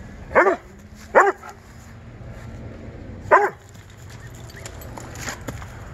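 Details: Doberman chasing squirrels in Juniper Valley Park, giving three sharp, loud barks: two in quick succession about a second apart, then a third after a two-second pause, with faint background noise.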